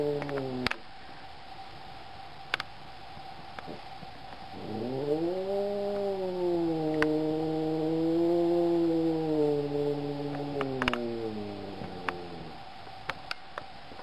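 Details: Black cat letting out a sustained, wavering low yowl that rises sharply, holds a drawn-out moan for about eight seconds, then fades, with occasional faint ticks and taps around it.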